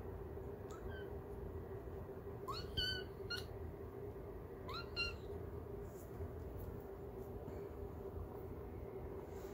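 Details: Two 10-week-old kittens indoors, trying to steal a chai, give soft almost-meows: a few short high rising squeaks near 2.5, 3.3 and 5 seconds over a steady low hum, with a person speaking softly.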